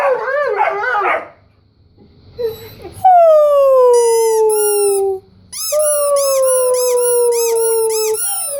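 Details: Weimaraner and Old English Sheepdog, two dogs at play, getting excited by squeaky noises: a wavering whine, a pause, then long sustained howls sliding slowly downward, overlaid by rapid squeaky pulses.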